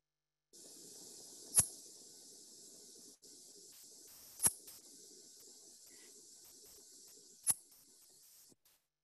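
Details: A fork-tailed bush katydid, a night-singing insect of California, gives very quiet, sharp, very brief single ticking chirps a few seconds apart over a steady high hiss.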